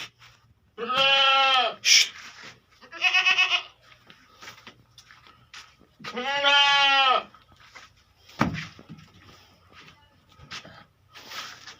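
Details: Beetal goats on a farm in Hanumangarh, Rajasthan, India, where three female adult goats are kept: loud harmonic bleats with a wavering, nasal tone, three long calls spread over about eleven seconds, plus clicks and handling noises between them.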